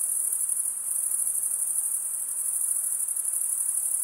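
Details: Stridulating crickets give a shrill, tightly pulsed high trill, continuous and uniform for the whole stretch, heard alone without other sounds.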